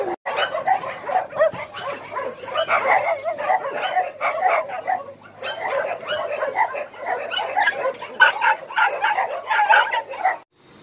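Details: A crowd of rescued dogs at Hanna's Shelter, Daegu, South Korea, barking in loud overlapping bursts for about ten seconds, with a brief lull midway before the chorus picks up again.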